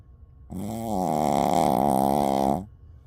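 A Shih Tzu gives one long, low, rumbling snore lasting about two seconds.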